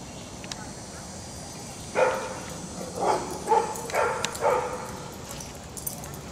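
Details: German Shepherd/Collie mix named Dixie, from a before-and-after training session in the Raleigh Durham area. After two quiet seconds come five quick, clipped barks in a loose cluster, then silence with faint background hiss.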